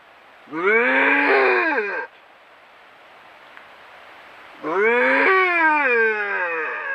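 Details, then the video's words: Wild bobcats tangling in a face-off in the Southern Sierra Nevada mountains: two separate drawn-out yowls, each about one and a half to two seconds, arching up then falling in pitch, with a quiet pause between. "Violent Face-off Between Bobcats"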